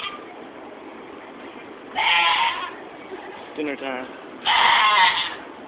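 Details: Stabled goats at the 2015 Georgetown fair in Illinois give two harsh, wavering bleats a few seconds apart, with a brief human voice in between and steady barn noise behind.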